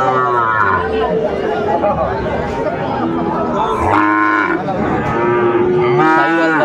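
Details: Sahiwal bulls and other cattle at the Ambari livestock market, Netrokona, Bangladesh, on 8 November 2024. Rich harmonic lows sound in short bursts, a few of them close and loud, over busy crowd noise.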